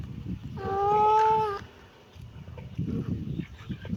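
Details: Kitten giving a single drawn-out, steady meow lasting about a second, over low rumbling background noise and quiet between.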